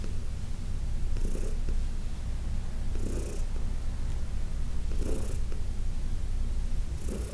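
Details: Heidi, a 14-year-old senior cat adopted from the Humane Society of New York City, purrs during a massage: a steady, deep rumbling purr, with soft breathy swishes recurring about every two seconds over it.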